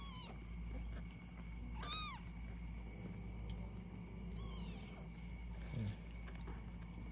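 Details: A two-year-old Persian cat, giving birth for the third time, gives a few short, rising-and-falling meowing cries.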